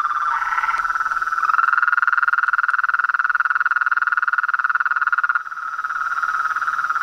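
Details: Massed frogs and toads trilling together: a few short higher croaks at the opening, then a loud, even, rapidly pulsed drone that softens slightly toward the end.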